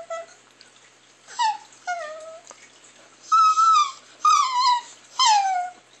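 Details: Strange weird sounds from a Chihuahua: a series of about seven tonal whimpering whines, some held level, others sliding downward, coming roughly once a second, loud and clear in a quiet room.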